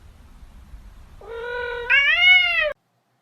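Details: Domestic cat giving a single drawn-out meow, starting low and steady, then stepping up louder and higher before cutting off sharply; faint low background rumble beforehand.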